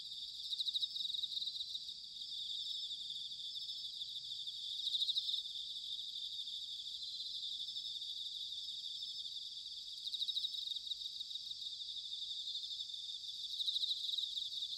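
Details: Bell cricket in autumn, recorded in Sanuki, Chiba Prefecture, Japan: a constant high ringing drone broken by louder pulsed bell-like bursts roughly every four to five seconds, with soft low background rumble.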